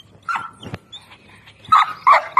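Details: Six-month-old Bully Kutta, an Indian or Pakistani mastiff of the kartosh line; soft snuffles, then three short, sharp, high yelping barks in quick succession at the end.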